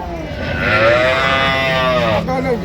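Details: Cattle, cows and calves at the Ambari cattle market in Dinajpur, 16/1/26: one long, steady, drawn-out moo lasting about two seconds, with market chatter and voices around it.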